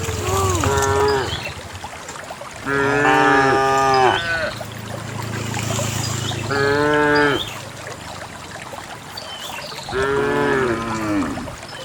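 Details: Cattle let out by their owner head toward a green valley on a quiet morning, dozens together on wet paths; four loud, rich moos come at roughly three-second intervals, some rising then falling, over a hissing rural background with faint bird chirps.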